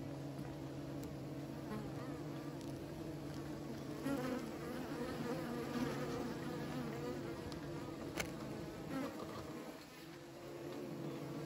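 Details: Beekeepers' bees produce a constant layered drone, a few sharp clicks breaking through and a slight dip in loudness near the end.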